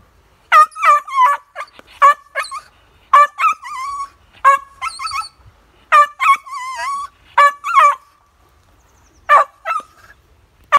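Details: Plummer terrier marking a squirrel: high, yelping barks and whining yips in uneven bursts, some drawn out with wavering pitch, about forty a minute with short quiet gaps between volleys.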